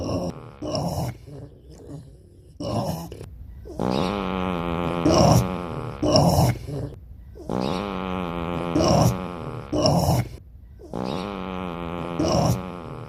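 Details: Pot-bellied pig voicing a series of long, throaty, wavering grunts, each about one to two seconds, repeated roughly every two to three seconds with short broken snorts between them.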